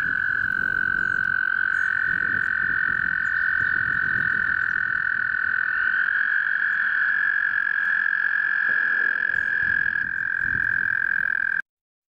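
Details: American toads (Bufo americanus) calling during breeding at Eldon Russell Park, Geauga Park System, Ohio: long, steady musical trills overlapping in a continuous breeding chorus.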